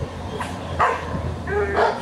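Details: A male Pomeranian gives a few short, high yapping barks in quick succession.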